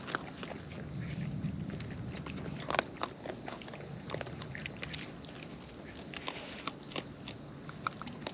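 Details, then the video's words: Wild raccoons feeding at close range: a dense run of short, sharp clicks and crunches, irregular and overlapping, with a soft low rumble in the first two seconds and a faint steady high whine throughout. "Wild Raccoons & ASMR Chewing Sounds"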